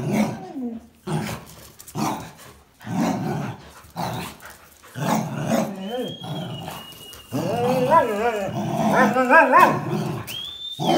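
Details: Playful towel tug between a Jack Russell Terrier, a black-and-white Border Collie and a red-and-white Border Collie; short growls at first, then warbling, wavering whine-growls and a thin high whistle-like tone.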